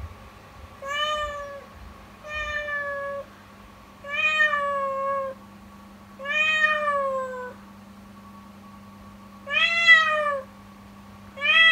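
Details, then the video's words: A female kitten meows loudly and plaintively in the morning, about once every two seconds, over a steady low hum; a sorrowful, painful-sounding cry the owner suspects is stress from changed circumstances, though she seems healthy. "【悲報】悲痛な鳴き声で叫び続ける子猫 その理由とは…"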